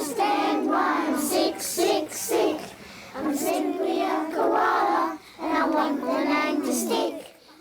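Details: A child's voice sings in short phrases with brief pauses, recorded indoors in a small room, and no animal sound is heard.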